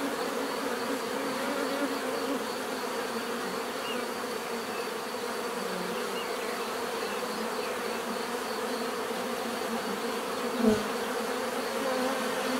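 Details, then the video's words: Steady swarm of bees humming in a dense drone, one brief soft knock near the end over the continuous buzzing. "bees therapy relaxing natural buzzing sound"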